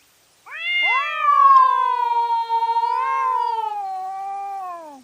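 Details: Cat fighting at night, recorded by trail camera: a loud, sustained, wavering yowl of about four and a half seconds, slightly pulsing, with a second overlapping wail at the start, ending in a falling tail.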